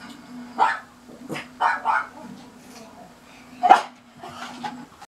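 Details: Linus, a pet pug, barks angrily at a passing garbage truck: about six short, sharp barks at irregular intervals, one louder crack near the end, above a constant low mechanical drone.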